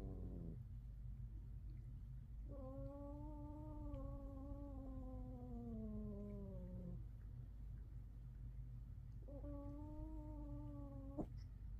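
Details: Household cat among five living together, growling in a fight where the louder voice wins: two sustained moaning yowls, the first about four seconds and gently falling, the second shorter, with low rumbling between.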